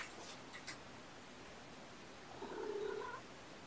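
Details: Foster kittens of the mother cat Olympia, indoors on a weekend morning while being checked and handled. A short, drawn-out mew rises near the end, with faint rustling and soft handling noise earlier.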